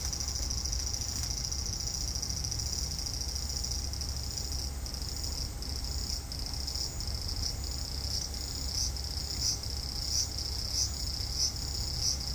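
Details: Cicada in a front-garden cherry tree on a hot evening, 5 August 2012; a steady high shrill buzz that, about halfway through, breaks into regular pulsing beats roughly every 0.6 seconds, over low rumbling background noise.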